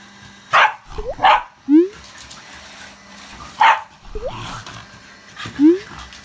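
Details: Shiba Inu barking at a vacuum cleaner it dislikes, indoors: short harsh barks, two close together near the start and another a few seconds later, each followed by quick rising yelps or whines, over a steady low machine hum.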